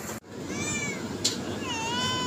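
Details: Cat meows used to attract others: a high, wavering meow, a short sharp knock, then a long, level, drawn-out meow sustained to the end, over steady background hiss.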